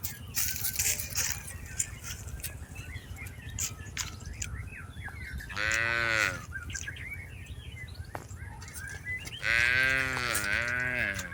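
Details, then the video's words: Tame cattle herded in a rice field give two loud, tonal calls about four seconds apart, the second arching slightly downward, with faint chirping and scattered clicks between them. "Suara Sapi Lembu Jinak"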